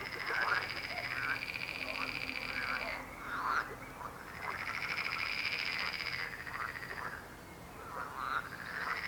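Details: Chorus of croaking frogs: long pulsed trills held for several seconds, broken by short gaps, with bursts of rasping, arching croaks layered over a continuous buzzing background.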